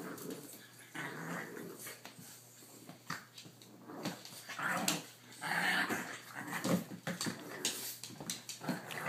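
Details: Blue Boston Terriers at play: father Primo with his puppies, 3-month-old Briar and 5.5-week-old Vdara and Asher, filmed indoors on a cell phone. Soft scattered growls and whimpers mix with rustling and thumps, and a woman calls "Briar" near the end.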